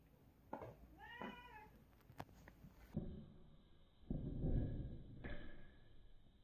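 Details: Rex, a two-legged domestic cat, indoors around a couch, gives one short wavering meow near the first second, then soft thumps and handling noises follow in a small room.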